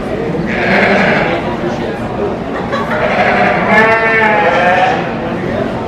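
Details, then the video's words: Show sheep at the 2023 Royal Agricultural Winter Fair, Toronto, Canada, in a breeding sheep competition; two quavering harmonic bleats rise above steady crowd chatter and speech in a busy hall. "Sheep Sound Effect"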